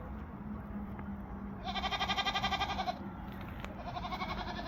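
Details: Barbari goat at a farm in Gorakhpur bleating once in a long, quavering, pulsed cry of over a second, set against constant low rumbling farm noise and a faint steady hum.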